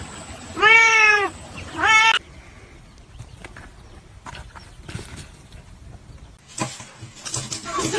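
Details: Domestic cat giving two loud, drawn-out meows, the first longer and wavering, the second shorter and rising, followed by several seconds of near quiet with faint rustles and soft background noise.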